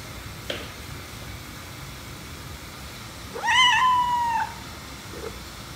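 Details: Domestic cat indoors, in a scene where the white cat is said to be jealous as the black cat is petted, utters a single drawn-out meow, rising sharply then held and slowly falling over about a second, against steady room hiss.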